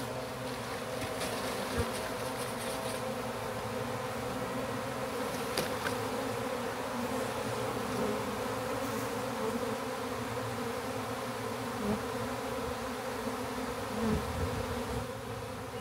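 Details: Backyard honey bee swarm being rehoused in a hive box with frames: a long, unbroken low droning hum of many bees with scattered faint clicks and knocks from handling.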